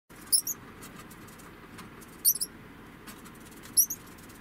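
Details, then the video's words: An 11-month-old female degu gives short, very high-pitched squeaky chirps in brief pairs. "デグーの鳴き声１０（子どものメス）"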